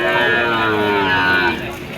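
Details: Cattle at a cattle market: one sustained, harmonic-rich moo held steady for about a second and a half, then fading, over a low bed of market noise and faint music.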